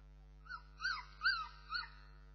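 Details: Four squealing whimpers from Bernese Mountain Dog puppies, each a high note that rises and then drops, spaced about half a second apart over a low steady hum.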